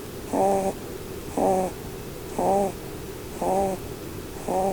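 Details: Blueberry, a female Holland Lop bunny, snores while she sleeps and dreams under the Christmas tree. Five clear, harmonic snoring breaths follow each other about once a second in a regular rhythm.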